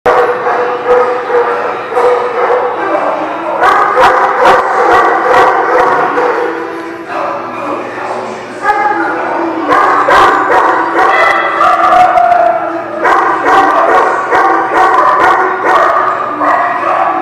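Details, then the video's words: Dogs barking at The Barking Lot, recorded 26 January 2019: loud, dense, overlapping sharp barks and yips in a continuous chorus across the whole stretch, with short lulls near seven and thirteen seconds and possible human voices mixed in. "The Barking Lot"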